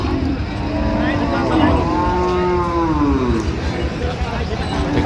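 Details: Cattle for sale at Ambari market, Dinajpur, 16 January 2026: one mid-length lowing moo that bends downward, partly masked by steady crowd noise, engine rumble and nearby talk.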